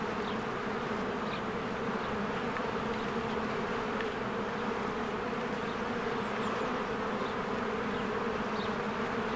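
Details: Crowds of honeybees at their cozy hive as spring flowers bloom: an even, continuous buzzing drone, with several brief thin bird chirps scattered over the top.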